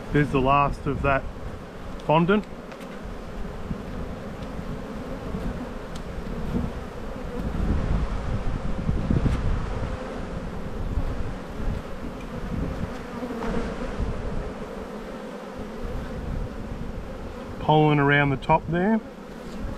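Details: Continuous low droning of honey bees at an open hive during a spring buildup inspection, 7-9-22, the colony with plenty of brood; brief spoken words at the very start and near the close.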